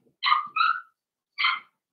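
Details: Loud, close yelping from a four-week-old Cavalier King Charles Spaniel puppy in Daisy's litter pen: two quick bright cries run together, the second sliding down, then a third after a short pause.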